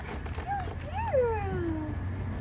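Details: Gretchen, a friendly one-year-old black Labrador-German Shepherd mix up for adoption at the FAAS shelter in Alameda, California, gives a brief high squeak, then a whine that rises and slides smoothly downward, amid a woman's cheerful talk.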